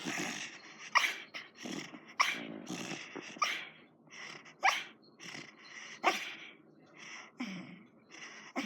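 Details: Pet dog Heidi asleep and snoring; a steady run of short nasal snorts and wheezy breaths, about one each second, varying in loudness, in a quiet room.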